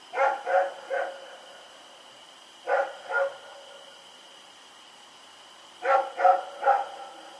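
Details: Rex, a dog running around and barking at night on October 7, 2018, lets out three groups of barks, three, then two, then three, each group separated by a couple of seconds, against a steady electrical whine.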